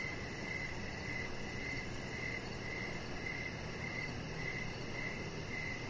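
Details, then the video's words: Outdoor evening crickets near a deck with a resting chihuahua, chirping in a regular pulse of about 105 chirps a minute; thin, high tones ride over continuous background noise. "Chihuahua Puppy Laying On Deck with Cricket Sounds"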